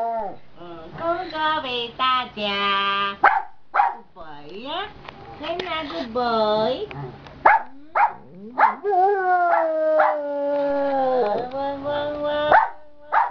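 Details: Afternoon singing by a contented giant panda: a busy run of wavering harmonic moans and quick sliding yelps, ending in one long drawn-out tone that dips slightly before fading.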